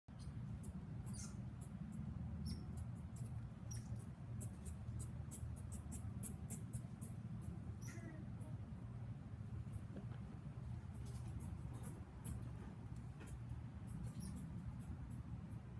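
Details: Several agitated squirrels at a house scold with a string of quick, sharp, high-pitched chips and squeaky notes, irregular and insistent, over a constant low rumble.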